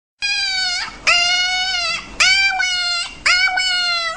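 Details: Dog said to be talking: four clear, high, harmonic whining yowls, each about a second long with a flat tone that bends at the end, following one another in quick succession.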